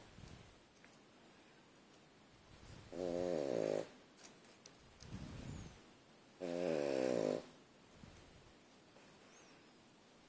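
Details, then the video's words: Pug snoring in its sleep, compared to a crop-duster plane: two long, rough, droning snores about three and a half seconds apart, each under a second, with soft exhales between, indoors. "Мопс храпит как кукурузник"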